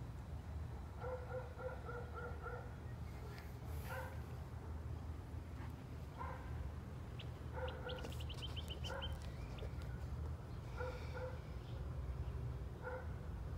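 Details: A neighbour's German Shepherd on 10 June 2020 lets out a rapid volley of four or five barks, then scattered single and paired barks, heard at a distance under a constant low hum, with a few clicks and rattles.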